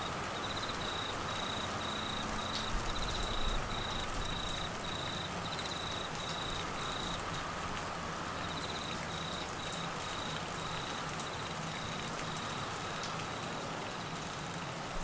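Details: Crickets during the Australian monsoon season in Queensland flooding: a high, pulsed trill that stops for about a second midway, then resumes more faintly under persistent rain hiss.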